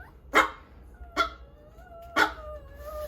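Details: Four-month-old Bichon Frise puppy, recovering from parvovirus after hospital treatment, gives three sharp, yappy barks about a second apart, with faint sustained tones lingering underneath.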